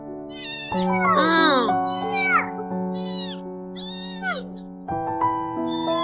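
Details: A tiny, weak stray kitten, found alone by a trash can in a village, gives repeated urgent meows, each rising then falling, over steady background music; she seemed hungry.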